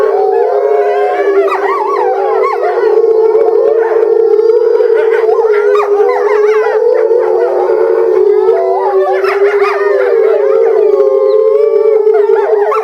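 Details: Family of captive Eastern timber wolves howling in unison at Higashiyama Zoo, Japan, February 2012, during breeding season with a female isolated; a long sustained base howl under many quavering, rising and falling higher howls, swelling midway.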